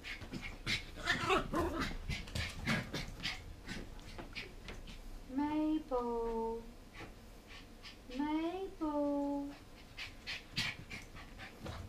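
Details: Mabel, a 14-week-old Border Terrier pup, worked up after eating too much sugar from toffee popcorn found under a bed. Two drawn-out harmonic whines rise then fall, about three seconds apart, amid panting, rustling and human speech.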